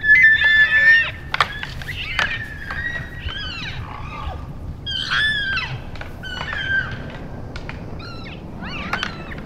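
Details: Play-fighting elk bulls in late January, louder in play than in real fights; a loud opening squeal then rapid bursts of high chirping squeals mixed with crisp antler clacks.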